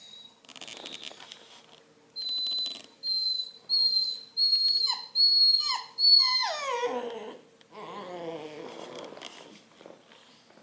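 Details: Whining Redbone Coonhound puppy sharing space with a cat: a run of thin, high-pitched whimpers repeated about once a second, then a longer whine that slides downward before fading into quiet.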